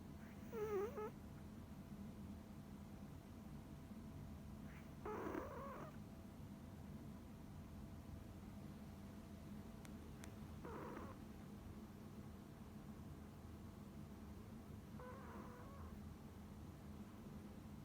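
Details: Coconut, a tiny deaf female Pomeranian, asleep and snoring: four soft nasal snores spaced about five seconds apart, the first squeakier and whistled, the others breathy and muffled, with steady low room hum between.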